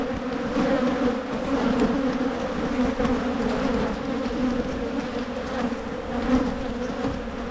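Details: Steady buzz of a honey bee colony in Michigan while hives are split to curb swarming, a constant low droning hum with faint swells in loudness.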